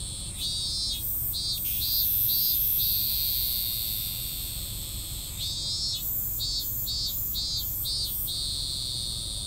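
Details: Unfinished cicada song: rapid chopped buzzing pulses in short runs, a held drone between groups, then another stuttering run, all above a continuous high-pitched insect hum.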